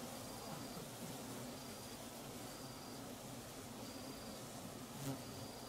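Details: Giant Asiatic Honey Bees (Apis dorsata) swarming at 5.53pm to start a new nest near an old one abandoned 14 months earlier, Perak, Malaysia: a dense, steady low hum with a thin high tone repeating about every second.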